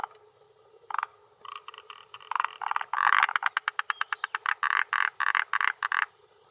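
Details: Territorial male forest green tree frog (Rhacophorus arboreus) croaking at a Japanese hillside pond shore, early June 2021 around dusk, attracting females; a loud, dense series of rapid rattling croak pulses lasting several seconds.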